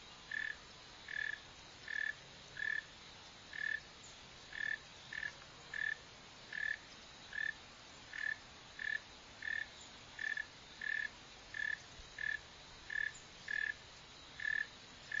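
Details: Northern mole cricket (Neocurtilla hexadactyla), seen digging and running, calls in a long series: about twenty short pulsed chirps at one pitch, repeated slightly faster than once a second, fairly steady, over quiet hiss.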